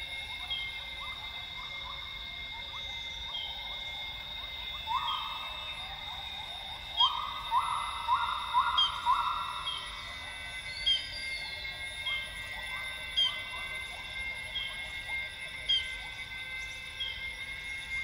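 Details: Northern grey gibbons sing at dawn in lowland rainforest at Tawau Hills Park, Sabah, northern Borneo. A series of rising whoops swells into loud, rapid bubbly notes midway. Behind them run a steady insect drone and a high bird chirp repeated about every two seconds.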